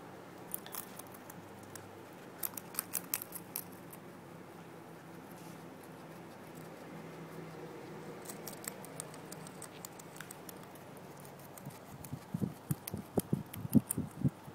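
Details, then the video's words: Guinea pig named Bebe eating fresh grass, soft rapid crunching and snipping chews in scattered bursts, a quiet stretch, then louder clustered crunches near the end, indoors. "Guinea pig eating"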